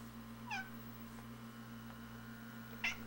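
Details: Two brief, bright chirps a couple of seconds apart from feral cats chattering through a front window at a robin outside in the yard, with a constant low indoor hum underneath.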